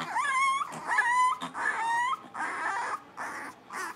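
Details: Blenheim Cavalier King Charles Spaniel puppies, a litter of five born at New Year's, playing in their puppy pen: long, clear, tonal whines that rise and bend, several in a row, with short yelps between them.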